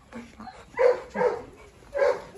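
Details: Presa Canario, Rottweiler and Staffordshire terrier tussling on a farm; three deep, rough barks spaced about half a second apart, loud and close.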